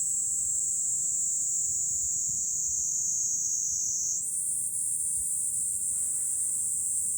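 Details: Summer cicadas in July at a Fukuoka City lookout in Japan, one steady piercing sizzle filling the whole stretch, rising a notch in pitch partway through, over a quiet low-frequency background.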